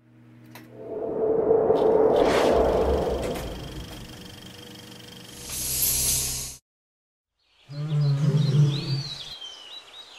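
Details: A wild pair of lions (Panthera leo) mating at Lake Nakuru, Kenya. A loud, rough, broad snarl swells and holds for about three seconds, fades, then after a brief silence a deep harmonic growl sounds over chirping birds.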